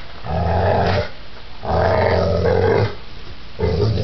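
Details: Pit bull described as giant, in a violent attack: deep rumbling growls in long bursts of about a second, three growls with short pauses between them.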